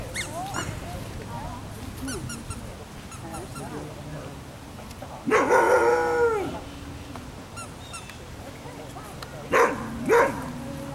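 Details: Afghan Hound named Ava at a picnic gives one long, drawn-out harmonic bark sliding downward midway, then two short sharp barks close together near the end, over faint outdoor murmur and quiet voices.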